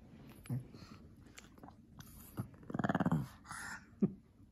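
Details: Shih Tzu/Pekingese cross dog indoors in a playful, talkative mood during an afternoon, playing with a lion cub toy; a low, rapidly pulsed grumbling vocalization lasting about half a second, with scattered soft snuffles and knocks around it.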